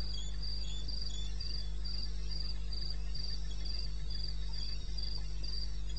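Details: Crickets in the eastern Botswana wilderness at 2:30 at night, 21 May 2016; bright regular chirps tick along about four times a second, a quieter second singer alternating, above a persistent droning background hum.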